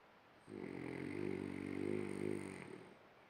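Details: French Bulldog snoring while dreaming: one drawn-out, low, rumbling snore lasting about two seconds, swelling and fading, with a faint high hiss above.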